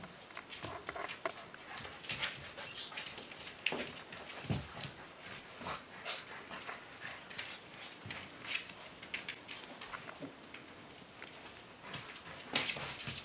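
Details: Frisky puppies playing together: steady scuffling and pattering of paws and bodies, broken by a few brief soft whimpering sounds, with no other animals or voices standing out.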